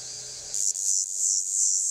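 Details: A cicada sings a loud, steady, high-pitched buzzing drone that swells in pulses, on a hot summer day in Cliousclat, France.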